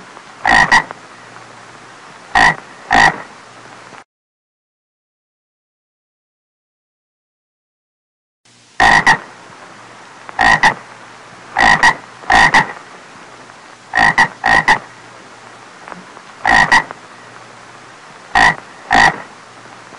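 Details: Croaking frog, loud raspy paired pulses repeated every one to two seconds, with a few seconds of total silence near the start before the calling resumes steadily; faint low hum underneath.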